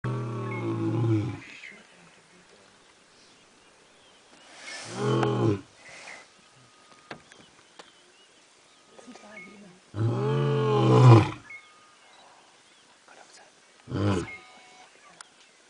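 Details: An injured lion (Panthera leo) roaring in Sabi Sand Game Reserve, South Africa, 2005: deep, rumbling roars with rising and falling moans, spaced several seconds apart.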